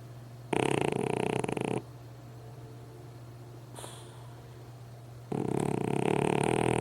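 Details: Pug dog asleep and snoring, giving a loud rasping, rattling snore of about a second, a long quiet gap with a faint brief breath, then another loud snore starting.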